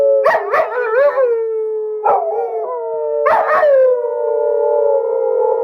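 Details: Dog wanting to go for a walk gives a few sharp barking yelps that run into wavering howls. It ends on a long, steady, sustained howl.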